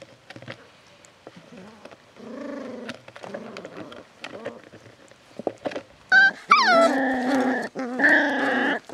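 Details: Beagle puppies aged seven weeks, litter F, start with soft low grumbles and scattered clicks, then break into loud rising yelps and sustained whiny growls over the final three seconds.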